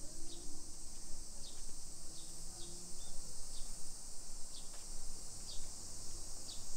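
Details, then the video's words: Cicadas singing in summer along suburban streets of Nisshin city, Aichi Prefecture, Japan, early afternoon, 28 July 2021: a constant high hissing whine fills the background while short, sharp bird chirps repeat about every second over low ambient rumble. "Summer Cicadas Sounds"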